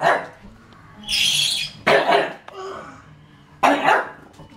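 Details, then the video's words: Smeagol the pug, upset by a Lego tank, gives sharp barks roughly every two seconds; between them a high whirring toy motor sounds in bursts. "pug vs lego tank"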